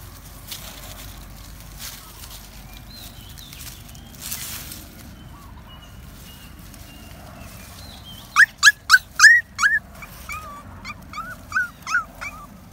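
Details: Puppy out for a happy walk in the woods; eight seconds of quiet rustling and footsteps, then a sudden burst of rapid, high-pitched yips, easing into shorter whining whimpers near the end.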